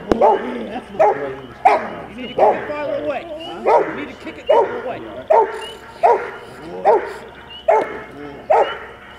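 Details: Rottweiler puppy Max, 10.5 months old, barking through bitework training on 15 April 2009: a rhythmic series of about eleven strong, throaty barks, each close to a second apart, with a brief pause midway.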